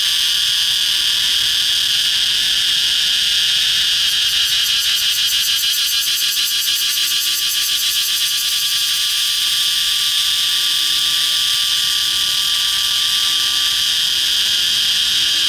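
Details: A cicada perched on the trunk of a red flame tree gives a loud, continuous, high-pitched buzzing drone with a faint pulsing texture.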